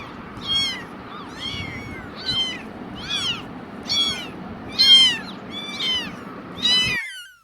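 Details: Very young kittens, newly born and not yet walking well, make about eight clear high-pitched mews, each bending upward then down, spaced roughly a second apart before the sound cuts off.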